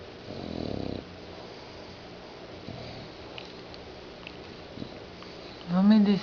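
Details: Kate the bulldog snoring: one broad, rasping low snore near the start, then quiet breathing, before a person speaks softly in Portuguese at the end.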